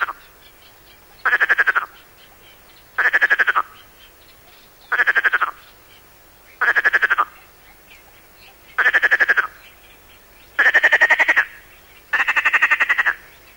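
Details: Perez's frog of the Mediterranean coast: series of short rasping bursts like a throat rattle, repeated roughly every two seconds, the last two longer and richer, in a quiet field recording.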